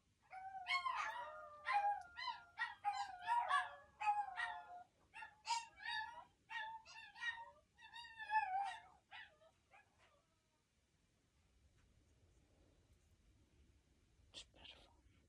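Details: Several Chihuahuas howling in a burst of quavering, yelping wails with sharp rises and falls, repeated roughly every second for ten seconds, then near quiet with one last short yelp.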